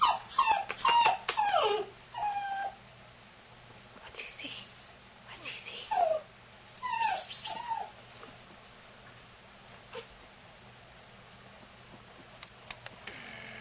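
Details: Female black-and-tan longhaired Dachshund puppy, AKC registered, offered for sale: high, falling whimpers in bursts, a quick series at the start, then more around four and six seconds, with a person talking to her softly between them.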